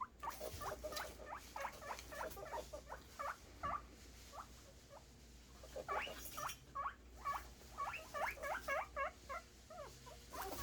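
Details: Guinea pig boars making excited squeals while awaiting food, dense runs of short rising whistled squeaks repeated rapidly throughout, with a faint low hum behind.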